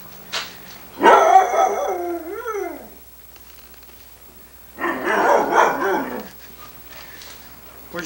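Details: Sunny, a female Irish Setter on 1987 VHS footage, answers her owner asking where her dad is with a long warbling moan ending in rapid up-and-down pitch swoops, then a rougher, noisier vocal burst after a pause.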